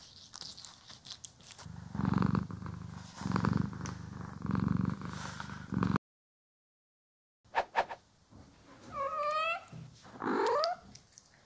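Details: Purring house cat during grooming and brushing, stereo recording: low throbbing purr cycles roughly every second and a half, a short silent break, then a brief rising-falling meow-like cry with rustling.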